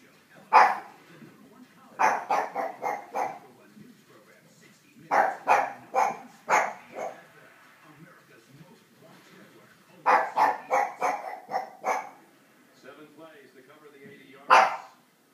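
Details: Pug barking angrily at loud neighbours: sharp, loud barks in bursts of two to five, with pauses between groups and a single bark near the end.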